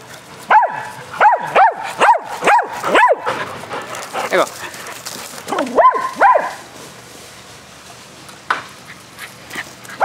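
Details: During a spring-day fetch game among four dogs, a burst of six evenly spaced barks opens, a pause with faint voices follows, then two more barks and a final single bark.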